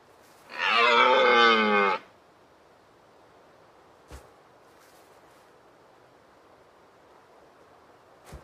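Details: Deer giving a single loud, harsh, nasal bleating call lasting about one and a half seconds, rich in overtones, followed by near silence with a couple of faint clicks.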